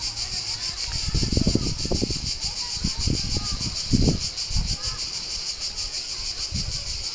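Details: Cicadas buzzing near Palombaggia beach on Corsica: a continuous high metallic drone with a fast pulsing texture, broken by loud low thumps and rumbles of wind or handling noise.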